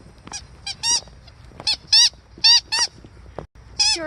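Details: Siberian Husky named Aurora playing outside in a blizzard, eager for company, lets out a rapid run of short, bright, bent yips and barks, about eight bursts in four seconds, with soft snowy background hush.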